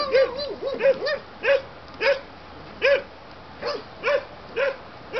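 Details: German Shepherd pups from a litter born 7/6/2012, yapping in a steady run of high, sharp barks, one roughly every half second to second, each with a slight rising-falling arch.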